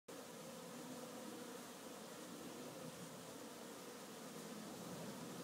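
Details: Honey bees at one of the keeper's hives on a busy afternoon, a steady dense humming drone with a warm low band and a faint higher overtone, unbroken from start to finish, no other clear sounds.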